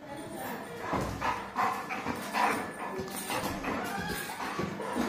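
A Saint Bernard gives a series of short, hoarse barks, about one every second. Background music and a person's voice run underneath.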